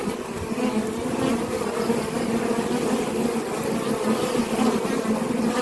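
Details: Steady droning hum of honey bees around a forager bearing orange propolis on its legs, a continuous low buzz with a pulsing, slightly wavering texture and no other clear sounds.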